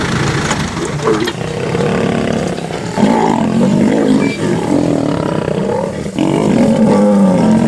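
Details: Lions of the Ximhungwe pride in the Sabi Sand, joined by the Mohawk Mapogo male, attacking and pushing out an unfamiliar sub-adult cub: loud, harsh overlapping growls and snarls with rough low tones and a steady rumbling background.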